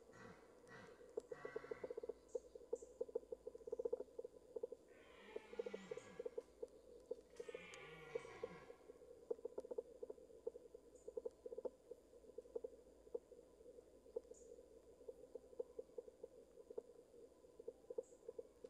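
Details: A red deer stag roaring close by during the 2023 rut gives two deep, hoarse roars over a steady insect chorus.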